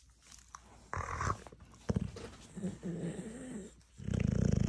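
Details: Dogue de Bordeaux being tickled indoors, answering with low rumbling growls and grumbling vocal sounds that swell and fade, ending in a loud sustained throaty rumble.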